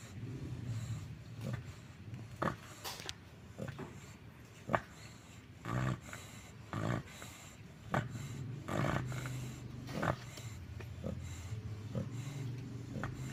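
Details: American Bully dog snoring right after falling asleep: low rumbling breaths in a loose rhythm of roughly one per second, with occasional sharper snorts and faint background noise.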